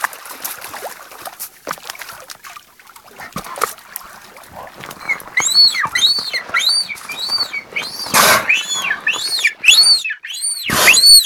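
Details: Beluga whales singing: after a stretch of soft clicks and splashes, a run of high, squeaky, arched chirps rising and falling in pitch, about a dozen in quick succession, broken by bursts of water splashing.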